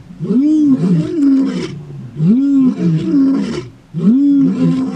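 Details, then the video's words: Roaring from big male lions disputing territory as a takeover begins in the far southern Kruger National Park, morning. Three powerful rolling roars in quick succession, each arched and rough, nearly continuous. "Big male lions in a Territorial Dispute! A Male Lion Takeover Starts!"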